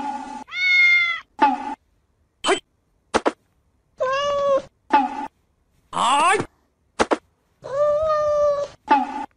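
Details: Kittens meowing in a string of drawn-out, wavering harmonic meows, some high and thin, others lower and longer, with short chirp-like calls between and brief silences separating them.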